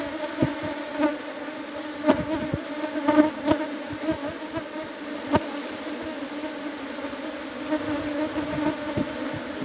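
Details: Colony of Asian honey bees in kept hive box number 17, disturbed during honey harvest, giving a continuous low hum with stacked harmonics, overlaid with scattered taps and clicks of hive work.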